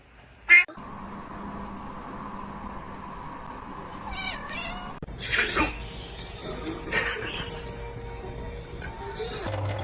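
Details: Domestic cat in a funny cat compilation: a short, bright meow bursts out near the start, then a long stretch of mixed sounds with steady musical tones, chirpy cat-like cries and some voices in the background.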